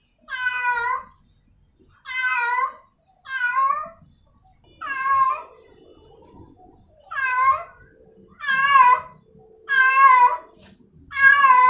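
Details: Female domestic cat calling a male cat with a series of loud, drawn-out, slightly warbling meows, about one every one to one and a half seconds, some ending in a falling tail; faint low background rumble.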